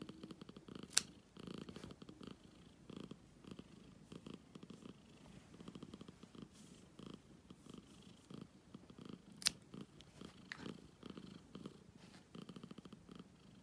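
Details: Steady purring from a black cat, a low pulsing rumble rising and falling with each breath for the whole stretch, broken by two sharp clicks.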